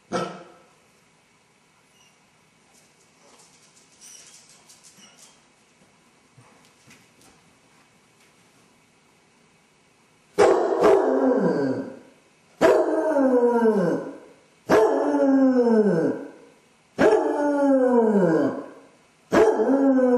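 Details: Basset hound suffering separation anxiety when left alone, recorded by a home camera; ten seconds of near silence with faint shuffling, then a steady run of five howls, each a harsh onset sliding into a falling wail.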